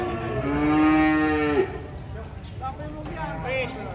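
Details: Cattle being unloaded from a truck in Indonesia: a steady tonal moo of about a second that breaks off with a pitch jump, followed by shouted human voices and handling noise.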